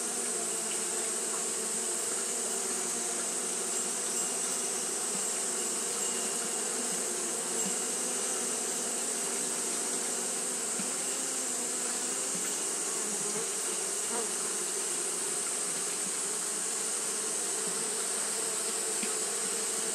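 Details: Japanese honey bees fanning without pause on a hot day: a steady, dense wing buzz with a low hum and its overtones, plus a constant high hiss, unbroken for twenty seconds.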